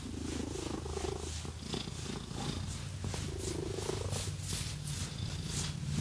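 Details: Pet cat purring as it is scratched and massaged; a continuous deep throbbing rumble dominates, overlaid by scratching sounds and two slow rising swishes.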